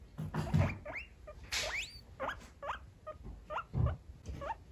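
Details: Lulu, a pet female guinea pig, calls out wanting to be with her owner: a series of short rising whistled squeaks, some sliding steeply upward, repeated roughly every half second, with low thumps and rustling underneath.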